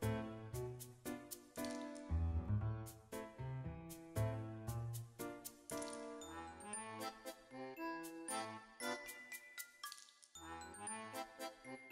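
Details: Bright chiming music with tinkling bell-like notes plays throughout, and no animal is heard.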